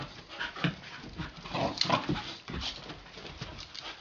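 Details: Puppies Gidget and Garnet play-fighting together; low growly grumbles and scuffling thumps in quick uneven bursts, peaking near the middle, inside a small room.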